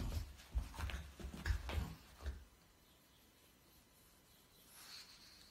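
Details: A male pug gives a quick run of low, snorting grunts in a frustrated, paw-stomping fit over a French Bulldog's bone.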